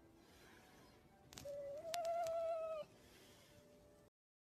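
A red fox gives a drawn-out, slightly rising whine with a faint click before it.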